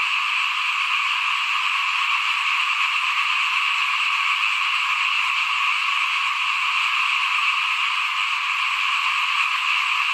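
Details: Many frogs call together by a house at rice sowing time in 2021, forming a seamless, buzzing chorus that stays level and continuous, with a faint low rumble now and then.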